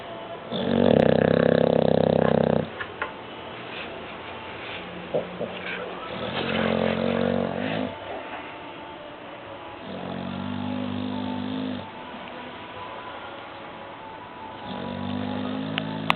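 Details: Sleeping dog named Sancho snores steadily, each rumbling, buzzy, low breath lasting about two seconds and recurring every three to four seconds, with one louder, harsher snore at the start and faint clicks between.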